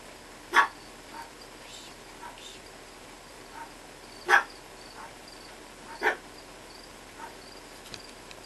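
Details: Two-month-old Chihuahua puppy, climbing about, gives three sharp, short yelping barks spaced a few seconds apart, with softer faint squeaks in between over a steady low background hiss.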